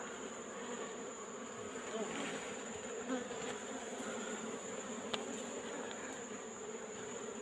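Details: A disturbed wild colony of Asian honey bees in a rock hole, afternoon, as combs are taken out: a strong, steady, humming buzz with small ticks and rustles, and soft speech in the background.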